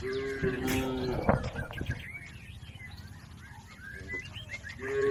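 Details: Cattle in a herd crossing a river on the way to the farm pen: a steady, tonal moo held for about a second at the start and another beginning at the end, with many small birds chirping throughout.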